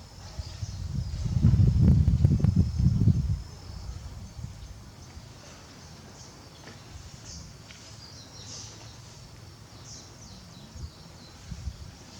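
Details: Barry, a male lion at Tobe Zoo, Japan, on 5 October 2021, calling out towards the backyard for his absent partner Daisy. He gives a deep, loud roar of about two seconds, then goes quiet. High insect chirping continues underneath.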